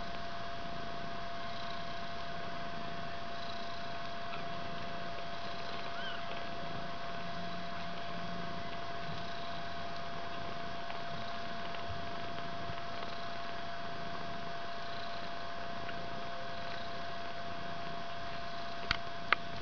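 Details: Fluffy white three-week-old kitten hugging and climbing on its mother Ellis indoors in a bedroom. Steady, continuous low purring rumbles throughout under a constant hum, with a faint clatter near the end.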